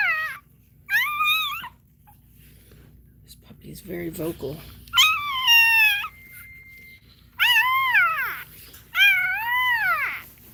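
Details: Indoors during Cashmere's labour, another Cane Corso cries in loud, arching whines that rise and then fall away, four main bursts roughly every one to two seconds, with a short stretch of human voices in between.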